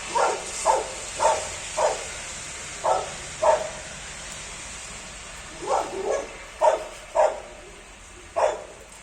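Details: Labrador Retrievers enjoying a rainy day outdoors, barking in quick bursts, often paired, around a dozen sharp mid-pitched barks over nine seconds against constant rain hiss.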